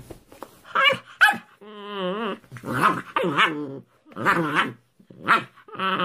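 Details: Puppies giving a run of whining, yelping cries, each a rising then falling tone, broken by short pauses over about six seconds.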